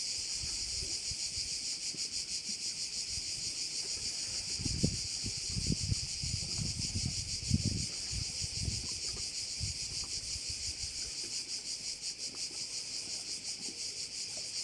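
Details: A bay on the island of Korčula, where a continuous shrill chorus of crickets runs unbroken with a slight rhythmic throb. Soft wind gusts thump through the middle and fade toward the end.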